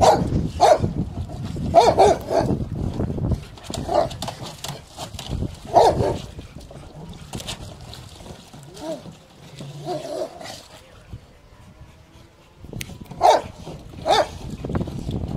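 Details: Rottweilers at play in water bark in scattered bursts, a cluster early on, a single bark near the middle and a pair near the end, with quieter splashing and low noise in the gaps.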